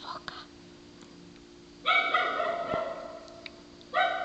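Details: Hoarse, honking barks from a dog that sounds like a sea lion: after faint murmuring, one long rasping bark trails off, and a second sharp bark starts two seconds later, over a low steady hum.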